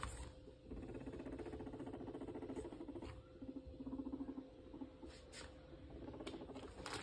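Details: Pet guinea pig named Max during cage cleaning, giving a low, rapidly pulsed rumbling call that throbs steadily for several seconds, with brief rustling and handling noises around it indoors.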